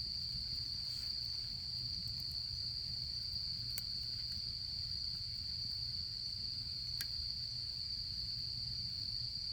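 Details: Autumn insects sing during camping season beside a campfire: a steady, unbroken high-pitched trill holds throughout, with a few sharp crackles and pops from the fire.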